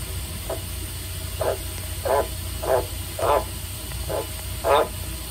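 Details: A male White's tree frog (Litoria caerulea) at a zoo, set calling by being sprayed with water, gives a series of deep, husky croaks in short bursts spaced under a second apart.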